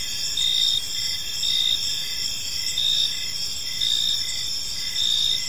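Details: Evening crickets in a park chirp steadily, each short high pulse returning about once a second above a continuous shrill insect background, with nothing else clearly heard.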